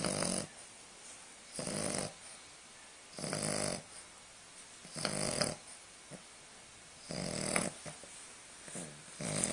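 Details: Lucy, a baby English Bulldog puppy, sleeps indoors in a small room with Spike the chihuahua nearby. Broad, breathy snores swell and fade roughly every one and a half seconds, each rasping inhale loud against quiet pauses.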